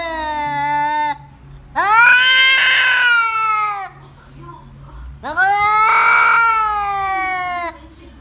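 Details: Aggressive house cat yowling at its owner for treats during Covid: a shorter cry, then two sustained, harsh, loud wails lasting about two seconds each, sliding up at the start, in a small room.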